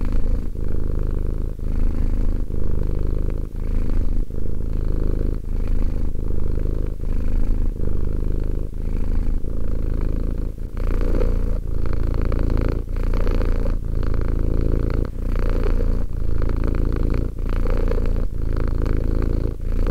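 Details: Two-year-old domestic cat purring steadily indoors: a deep, continuous low rumble broken by brief pauses roughly every second or so as breaths alternate, with no other sounds present.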